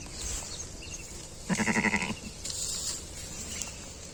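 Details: Sheep that gave birth to a six-legged young gives one clear, wavering bleat of about half a second, shaking in quick pulses. Low hiss and distant background noise surround it.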